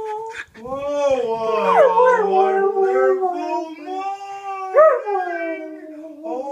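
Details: Ziggy, a Samoyed, sings along to an advert song he always pays attention to. He gives a drawn-out, wavering howl with bending pitch, sliding up and down, and a sharp upward yelp near the end.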